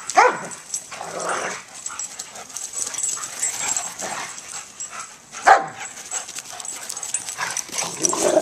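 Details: A senior German Shepherd Dog and a year-old Pit Bull pup, both rescue dogs up for adoption, playing together: short scattered barks and yips in bursts amid scuffling, with a woman's voice nearby.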